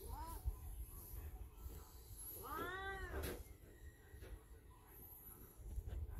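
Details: An elderly black cat in heat, indoors at home, gives two drawn-out meows that rise and then fall, one early and a longer one near the middle. They are fairly quiet over a low background rumble.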